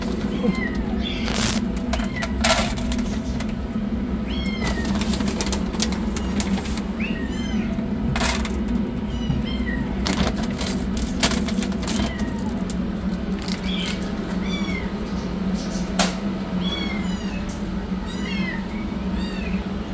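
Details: Rescued yellow kitten running for food, with a black kitten receiving treatment; many small, high, arching meows repeated every second or two throughout, over a loud low rumble with sharp clatters and knocks.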